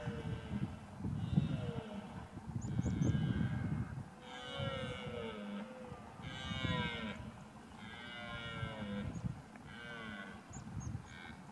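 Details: A Scottish red deer stag (Cervus elaphus scoticus) roars during the rut in Lochaber, Scotland, giving deep guttural bellows in bouts over low rumbling background noise.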